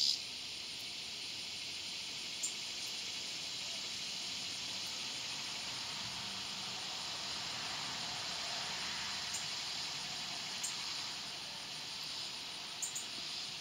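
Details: Swamp cicada (Neotibicen tibicen) giving a steady, unbroken high hissing buzz that holds at an even level throughout, with a thin, faint whine above it and a few soft clicks.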